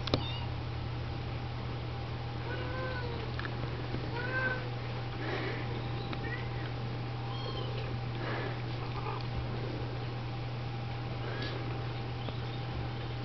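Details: Mother Siamese and Snowshoe cats clean and feed Oriental, Siamese and Snowshoe kittens indoors; scattered short arched mews come every second or two, fainter and sparser, above a constant low hum and faint handling noise.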